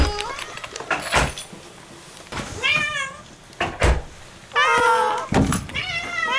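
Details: At the front door, the pet cat Moo meows in greeting as owners come home; a few rising-falling meows, one long and loud near the end, interleaved with talking and door clunks.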